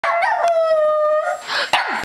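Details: Pet puppy howling; one sustained tonal howl holds steady for about a second and dips slightly, followed by short rough yelps and a brief falling whine.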